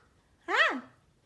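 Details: A Pomeranian puppy with a buzzed head, running and playing, gives one short, bright yip about a third of a second long that rises sharply and then slides down, with only faint room hum.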